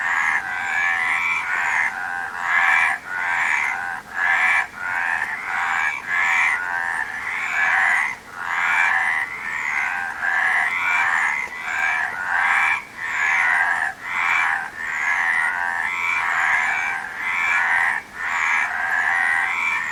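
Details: Frogs calling nonstop in a rasping, pulsed chorus, croaks overlapping and interrupted by brief dips roughly every second throughout.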